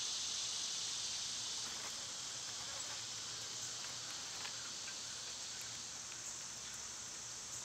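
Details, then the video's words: Cicadas singing in summer amid birds and squirrels: a dense, wide, sizzling buzz that is loudest at the start and eases slightly, continuous with no breaks and faint low background hum. "Birds & Squirrels w/ Cicada sounds"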